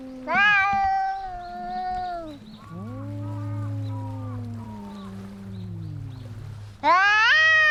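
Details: A loud cat yowl drops into a long, low, wavering moan as cats fight, with a deep rumbling undertone, before a sudden high screeching yowl bursts in at the end.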